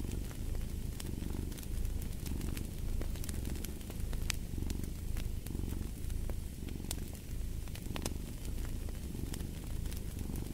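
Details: Low continuous cat purr, rising and falling in soft waves about once a second, dominates over scattered crisp crackles and pops from a burning fireplace.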